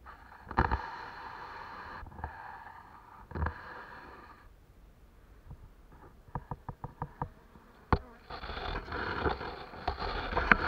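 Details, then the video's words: Honey bees at Turza starting their work, a broad buzzing hum in bursts broken by clicks and knocks, with a louder swell of buzzing toward the end. "Pszczoły Turza ...praca rozpoczęta !!!"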